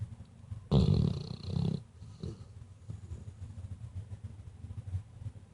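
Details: Female Weimaraner asleep and snoring. One loud, deep, rasping snore lasts about a second, then quieter low rumbling breaths follow.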